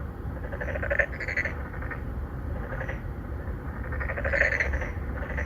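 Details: Three or four narrow-mouthed frogs court females from a residential pond in Songdo, Incheon, Korea, captured with a Galaxy Note 9. Dense, overlapping pulsed croaking blends into a continuous chorus over low-frequency hum.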